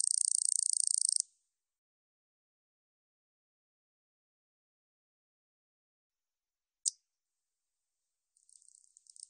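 A katydid gives a dry, high, rasping buzz, then a lone click and a fainter buzz.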